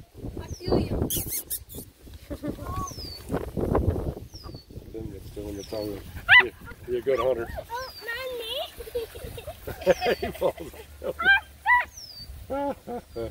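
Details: Redbone Coonhound puppies romping with a Bluetick Coonhound puppy: wavering, whiny yelps and squeaky yips in short bursts, mixed with human talk and a thin, high, falling chirp that recurs every couple of seconds.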